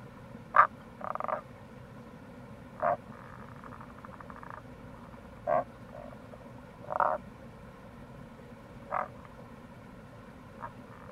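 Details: Tago's brown frog (Rana tagoi) calling in April near a gorge on the Kamo River, Itoshima, Fukuoka, Japan. Short, clipped croaks and brief pulsed bursts come every one to two seconds, with a steady low rush of flowing water.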